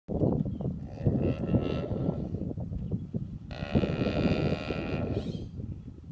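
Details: Cow snoring: deep, rough, rumbling breaths with two long drawn-out noisy stretches, the second breath slightly brighter, loud and close throughout.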